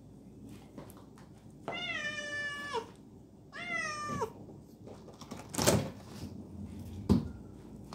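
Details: Kittens being called to eat their meal give two long, clear meows, each drawn out and sliding downward in pitch, followed by a few dull knocks and thuds in a small indoor room.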